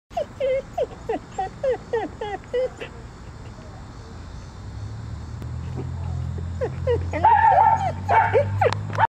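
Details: Female Border Collie watching from a bush. Quick high yips or whimpers repeat rapidly for about three seconds, then a quieter stretch, then a drawn-out wavering whine over a low rumble near the end.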